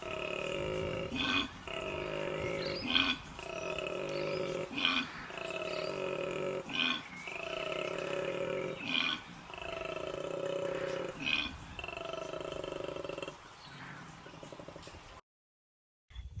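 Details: A koala's mating call heard at night while camping in the Australian bush: loud, deep, rasping grunts in a steady snoring-and-belching rhythm, loud enough to keep a camper awake all night.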